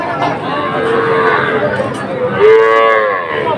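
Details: At Ambari market in Kushtia, Bangladesh, 24 May 2024, young Sahiwal calves bought by a farmer; a soft, wavering low moo followed by a louder rising one near the end, amid murmuring market voices.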